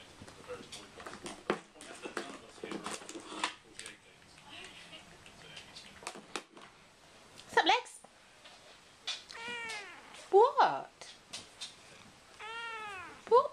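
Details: Male house cat that likes the occasional cat chat, sharing an affectionate moment indoors with a miniature Bull Terrier: a few drawn-out, arching meows near the end, with a woman talking softly over rustling at first.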